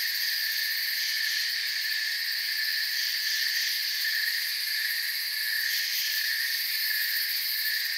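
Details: Crickets in a forest at night, a dense steady chorus of high shrill trilling in several bands, continuous with no pauses, faint pulsing in the highest layer.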